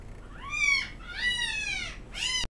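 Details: A female Golden Retriever puppy born 10 December whines, giving three high, drawn-out whimpers that rise and then fall in pitch.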